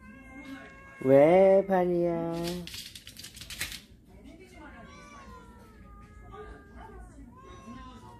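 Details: Family of cats from a storage shed coming indoors; one loud drawn-out meow with strong stacked harmonics, then a broken second cry, followed by softer overlapping mews and quiet human voices.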